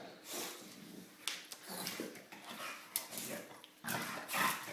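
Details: English Bulldog Dozer, three years old, snorting and breathing heavily in rough bursts while play-wrestling with a child inside a small room; faint voices behind.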